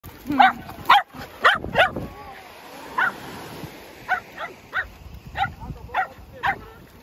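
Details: Shetland Sheepdog excited while playing with a ball indoors, giving sharp high barks, a quick burst of four then spaced single barks about every half second, with a person's voice in the background.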